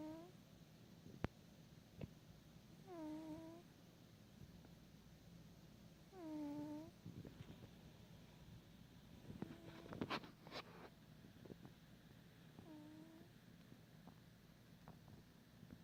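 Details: An indoor cat asleep gives short squeaky chirps that curve downward in pitch. Four of them are spread across the recording, with a brief burst of rustling and clicks in the middle and a low hum underneath.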